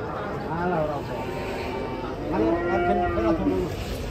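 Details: Cattle coming down from a swaying truck, lowing in overlapping harmonic moos, one rising and falling bellow near the end, with murmured voices and a steady background hum.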